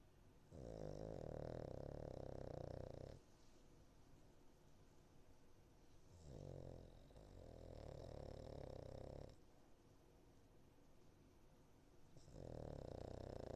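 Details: Foster Cavalier King Charles Spaniel Niko asleep and snoring: three loud, drawn-out guttural snores of two to three seconds each, separated by quieter breathing gaps of a few seconds, with a fourth snore starting at the end.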